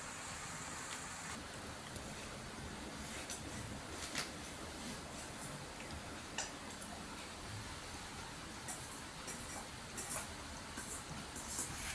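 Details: Steady low broadband hiss like distant traffic or running water, with scattered faint clicks and taps and no animal voice.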